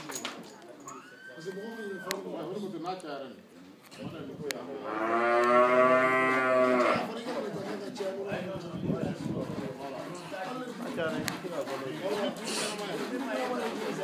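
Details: Crossbred 7/8 Montbéliarde dairy cow on a farm in Bamako, Mali, lowing once: a long, rich harmonic moo of about three seconds that swells and fades. Scattered voices and farm noises before and after.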